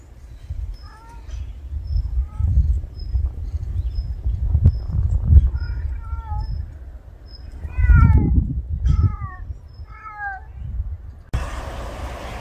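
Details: Street cat outdoors giving a series of short, downward-sliding meows, some single and some in quick pairs, spread across the recording over a low rumbling background with a faint repeated high tone, ending in a burst of noise.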